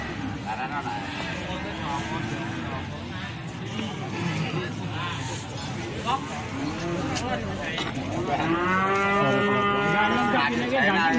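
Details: Cattle at the Plaosan cattle market in Magetan; a moo rises late in the clip above a steady crowd murmur and men's voices bargaining.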